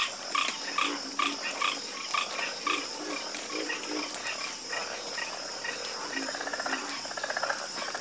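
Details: Dense nighttime frog croaking: rapid clusters of rasping calls at first, thinning midway, then a fast buzzing trill near the end, with a steady high whine underneath.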